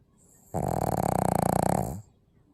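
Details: Snoring pug: a single rough, vibrating snore of about one and a half seconds, starting abruptly and ending sharply, a low rattling buzz against a quiet background.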